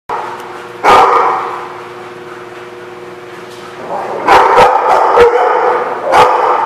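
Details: Dogs barking in a lot, a few loud harsh barks at irregular intervals over a steady low mechanical hum, with a busy murmur of further barking in between.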